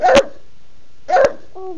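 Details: House bulldog, female, demanding food at mealtime on a Sunday. She gives two brisk, punchy barks roughly one second apart, followed by a brief whine, while a woman chatters to her.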